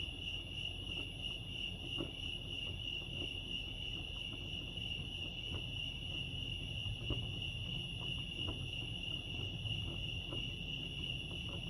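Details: Crickets at Lake Arrowhead, California chirp in a constant high, finely pulsed trill that never pauses, set against a murmuring low background and a few soft knocks.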